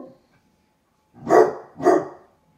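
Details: Basset hound puppies named Musta and Ari barking at a stranger seen outside the window while relaxing indoors; two deep, short barks about half a second apart, quiet room otherwise.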